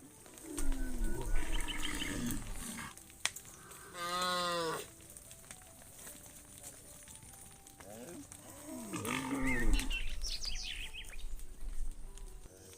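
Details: Cows herded through slippery, muddy rice fields toward their pen; repeated mooing, with a short nasal low call, then a loud, strongly harmonic bellow, and later overlapping wavering moos, over constant high-pitched insect buzz and rustling.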